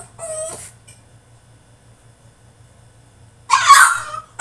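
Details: French Bulldog throwing a tantrum in his cage: a short descending whine near the start, then a loud harsh yelping burst about three seconds later, with a low steady hum underneath.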